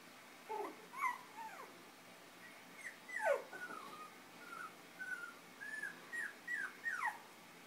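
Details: Five-week-old Chinese Crested puppies, fostered with their mother through Almost Home No Kill Animal Rescue, playing and nursing; high thin whimpers and squeaky yips, some falling and some rising, come in a steady run of short cries about every half second.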